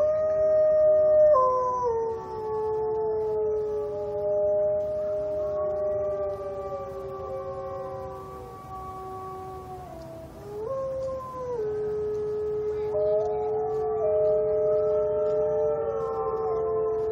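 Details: Wolves howling together at Brookfield Zoo in a captive howling war: several overlapping long howls at different pitches, each holding steady, then sliding or stepping down as new voices join and weave through the chorus.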